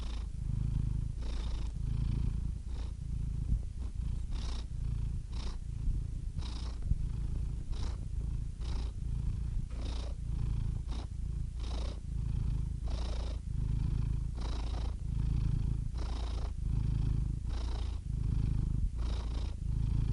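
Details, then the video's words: Close, loud cat purr: a constant low buzzing rumble, with quicker breathing that gives a rhythmic swell about every second and frequent short airy snuffles on top, heard for twenty seconds without other noise. "purring cat"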